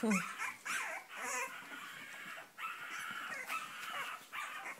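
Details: Cavalier King Charles Spaniel whining in long, drawn-out, high nasal tones that waver slightly, broken by brief pauses, over faint room noise.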